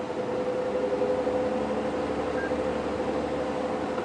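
A steady vehicle engine hum with a faint tonal drone, and no animal calls.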